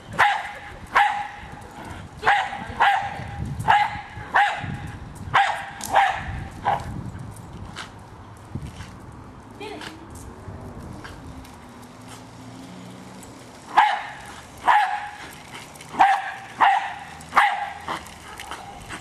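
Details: A Jack Russell Terrier named Hali attacks a remote-controlled toy car, firing rapid bursts of sharp barks about twice a second, a quieter gap with a voice and motor hum, then another string of barks.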